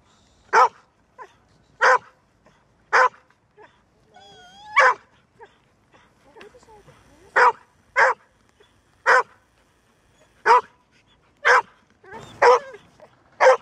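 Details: Female Golden Retriever, said to bark seldom and only when necessary but then very persistently, giving loud single barks about once a second, with a brief rising whine in between.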